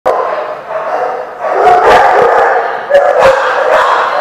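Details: Dogs barking, recorded 16 November 2015: loud, overlapping harsh barks in rapid bursts, several at once, with a dense crowd-like din of voices and yelps filling the background.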